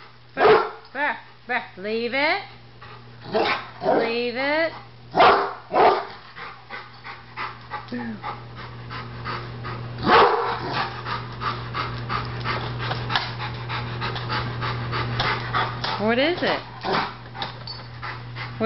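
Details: Rottweiler at home reacting to a barbecue grill as if it might attack, a Doberman nearby: a burst of sharp barks in the opening seconds, more barks around five and ten seconds, mixed with a woman's coaxing talk and a low hum.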